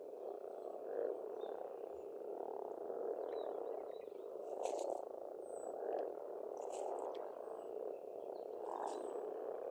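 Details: Frog chorus at a pond in Estonia in spring, a dense continuous croaking mass with swelling pulses, while thin high bird whistles sound now and then above it.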